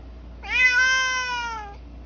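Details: A male Bengal cat kept indoors, asked by its owner to meow louder, gives one clear, loud, drawn-out meow of a bit over a second, steady and slightly falling at the end.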